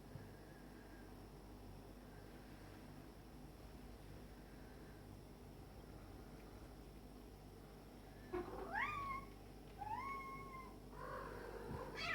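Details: A black-and-white male cat and a stray male kitten play fighting: quiet room for eight seconds, then two rising, bending meows about a second apart, followed by a softer whining note.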